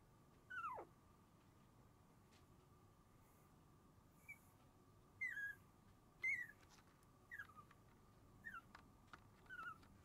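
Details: Sleepy three-puppy Shiba Inu litter, born January 7, gives scattered short whimpers, some sliding sharply downward, spaced irregularly about a second apart over a continuous low hum.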